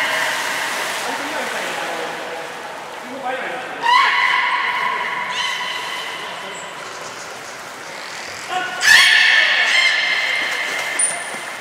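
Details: Training session with belugas Nana and Niko, Port of Nagoya Public Aquarium, Japan, 7 October 2018: layered buzzy tones sliding upward, two louder bursts at about four and nine seconds, a brief high whistle, murmuring voices behind.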